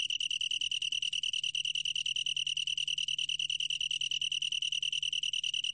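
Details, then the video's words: Long-tailed tree cricket, 2020 National Institute of Biological Resources recording: high trilled song broken into rapid, clearly separated pulses, steady and bell-like, over a quiet background with a faint low hum. "긴꼬리, 여러번 듣기, 곤충소리"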